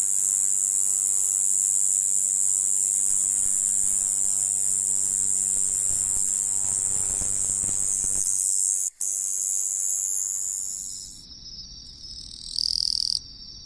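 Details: In the lowland plains of western Japan, a conehead katydid gives a continuous, high-pitched electric buzz that runs unbroken before cutting off.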